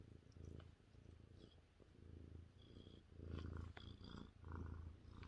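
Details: A 30-pound male Maine Coon cat, lying on a lap on a chilly evening with his ears being rubbed, purrs happily in a deep, steady rumble that swells and fades with each breath.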